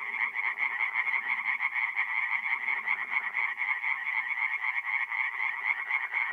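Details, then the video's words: Singing tree frogs at a nighttime forest pond in north-eastern Italy, mid-April; quick rhythmic rattles about twice a second layered over a continuous chattering chorus, with softer low croaks underneath. "relaxing forest pond by night with singing tree frogs"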